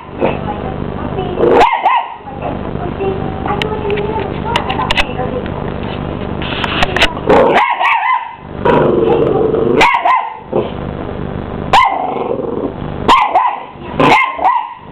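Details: Miniature English Bull Terrier puppy, a 12-week-old male, confronting a hoover; short yappy barks burst out repeatedly between stretches of steady vacuum drone, with brief human speech in the mix.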